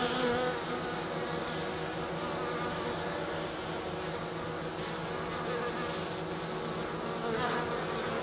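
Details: Honey bees, Minnesota hygienic stock kept south of St. Paul, on a 50-degree March day, hauling their dead out of the hive bottom; steady broad buzzing hum of many bees with faint rising and falling tones throughout.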